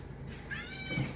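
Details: Indoor pet cat Kanaya, a female insisting someone keep her company at mealtime, lets out a brief, slightly rising meow, cut across by a person's short spoken no.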